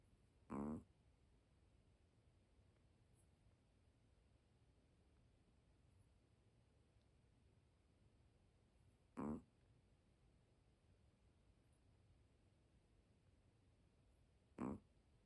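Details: Sleeping dog snoring softly indoors: three brief, quiet rasping snores at uneven gaps, roughly nine and five seconds apart, over a low steady room hum.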